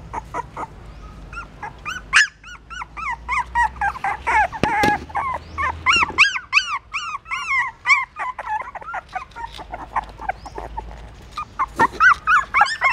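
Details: Several hungry newborn puppies nursing from their mother at a pagoda stupa in Siem Reap, Cambodia; rapid overlapping squeals and rising-falling whines, many per second, with brief sharp knocks between the cries.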